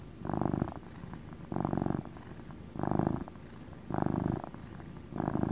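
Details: A male domestic cat purring in deep motor pulses. Five distinct rumbling swells come roughly every second and a bit, separated by near-silent breathing gaps, recorded up close.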